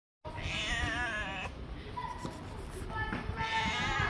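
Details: Gray long-haired male stray cat with a big head, living on the street; a drawn-out, wavering meow with rich harmonics fills the first second and a half, followed by quieter street noise and a second rising cry near the end.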